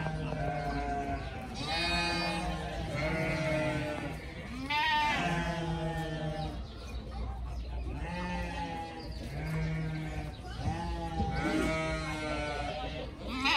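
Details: Several pygmy goat kids frolicking together; a steady run of nasal, trembling bleats, one after another every second or so, overlapping voices of differing pitch above a constant low hum.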